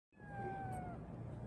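A Persian cat gives a single drawn-out meow, steady then gently falling, over a low rumble.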